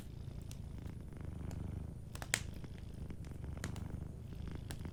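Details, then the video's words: Gentle purring of a cat asleep near a crackling fire, a deep pulsing rumble throughout, with one loud pop from the fire midway and lighter crackles around it. "Warm Fireplace Ambience with a Sleeping Cat 🐱💤Fireplace & Soft Purring"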